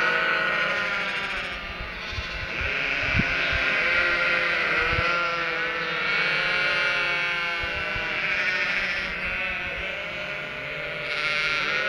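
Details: Flock of Cotswold sheep with three-week-old lambs in the countryside, calling in expectation of the farmer bringing food: continuous overlapping chorus of wavering bleats, higher lamb voices mixed with deeper adult baas, with no pauses.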